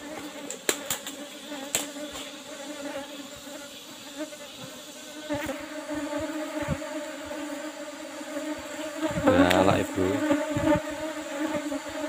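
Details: Asian honey bees, Apis cerana, in an old-style box hive with a used asbestos-sheet cover, during a honey harvest; a continuous humming drone with wavering overtones, several sharp taps early on, and a louder burst of bee noise near the end.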